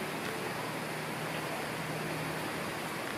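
Steady broadband rushing noise, like flowing water or distant traffic, with no animal sound.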